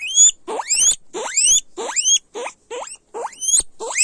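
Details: Loud guinea pig squeals, several animals: shrill notes that climb steeply and end in high whistles, roughly six or seven calls in quick succession with short silences between them.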